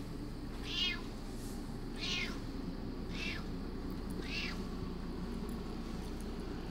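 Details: Female house cat Curious demanding food as her meal is readied, four clear, bright meows each rising then falling, spaced about one second apart, against a constant low hum indoors.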